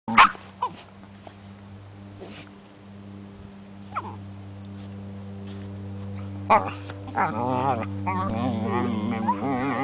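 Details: An 8-month-old Border Collie and a 9-week-old Weimaraner play fighting indoors: mostly quiet with a steady electrical hum, then a wavering run of whiny growls and yips near the end.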